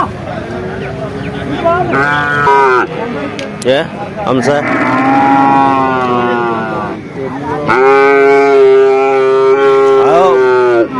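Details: Several bull calves bellowing at Vaniyamkulam cattle market, Kerala, India; long sustained moos follow one another almost continuously, some rising then dropping, over a background of crowd noise.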